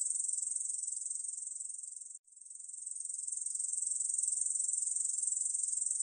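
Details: Ussuri bush cricket singing, 2020 recording: a high, hissing buzz of rapid pulses breaks off for a moment about two seconds in, then resumes and swells back to full, steady strength. No other sounds are heard.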